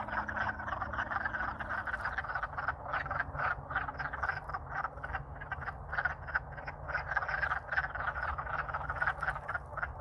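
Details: Spring courting chorus of wood frogs in Alaska, thawed after freezing solid over winter; continuous overlapping clucking croaks from many frogs, dense and loud throughout, low background rumble.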